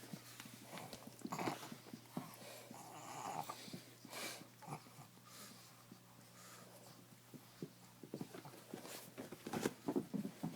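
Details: Two puppies, Face and Chief O' Reno, romp on a bed among blankets; scattered soft growly grumbles and snuffles come in uneven bursts, mixed with rustling and bumping of bedding in a small indoor room.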